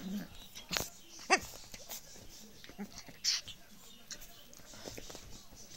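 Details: A pet pug, waking up in his rough way, gives rough, wheezy snorts and short grunting bursts at irregular intervals.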